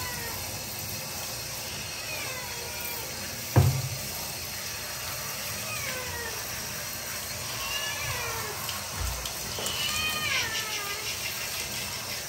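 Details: Scared kitten Marseille, enduring a wash at home, utters several thin, downward-sliding meows spaced a few seconds apart over steady running water, with a sharp knock early on.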